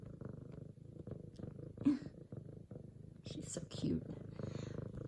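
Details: A female F2 Savannah cat, excited at her owner's return from work, purrs loudly in a low, even rumble while kneading a leopard-print pillow, as a woman talks softly nearby.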